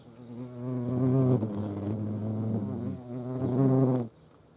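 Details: Continuous loud, low droning buzz of European hornets in flight at a feeding place in Dohr, Eifel, Germany, swelling and dipping slightly in pitch and volume for about four seconds before ending abruptly.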